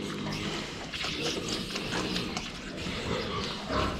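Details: Pigs filmed head-on while drinking water, giving low, rough grunts in short irregular bursts over a steady wash of splashing and broadband noise.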